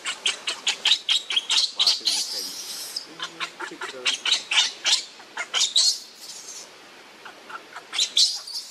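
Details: Hungry baby monkey that has lost its mother, crying and begging for milk: a rapid run of high-pitched squeaky chirps and squeals in short bursts about every half second, with a longer wavering squeal near two seconds, then quieter squeaks.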